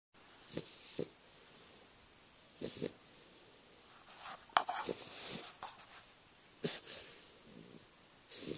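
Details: An English Bulldog puppy snores in rough, wheezy bursts, each breath coming roughly every two seconds; recorded June 8, 2011.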